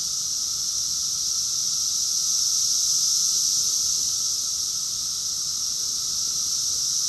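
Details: Cicadas singing together in Rockville, Maryland, USA, June 2021, summer: a continuous shrill, sizzling wall of sound holding an even loudness throughout, over a faint, constant lower drone.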